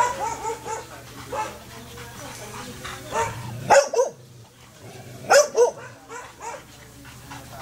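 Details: Rare-coloured Belgian Malinois stud dog barking: two loud, abrupt bark clusters a couple of seconds apart, separated by quieter stretches with soft voices and a constant low electrical hum.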